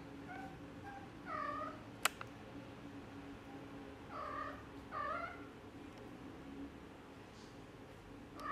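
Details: Exotic Shorthair kittens, four weeks old, riding in a car give short, high meows, some bending downward, about three clear calls with fainter ones between, a sharp click, and low vehicle hum beneath.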